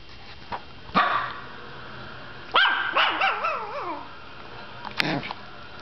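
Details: Emma, a Yorkshire Terrier, yips sharply, then lets out a wavering, warbling whine that rises and falls several times over about a second and a half, ending with another brief yap amid faint room hum.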